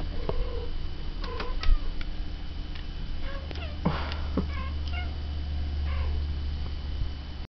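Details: Pet cat reacting to talking cats; a few faint, short meows and chirps sit above a loud low hum, with occasional taps and rustles.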